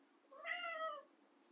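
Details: A domestic cat named Bean gives a single clear meow, rising then gently falling, asking for food because it is hungry.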